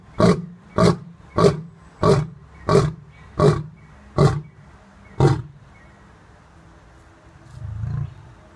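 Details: Lions at a zoo resort: a lion gives a series of deep, throaty grunting roars, each about two-thirds of a second apart.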